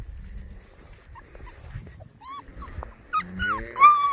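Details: Border Collie puppies, six weeks old, on their first sight of stock: a few soft whines, then louder, high, wavering yips and whimpers crowding together in the final second, with faint low thumps beneath.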